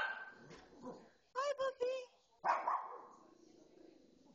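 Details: Female pet dog excitedly barking at a pet show on television: three quick high yelps in a rapid cluster, then one harsher bark, over a background of television speech.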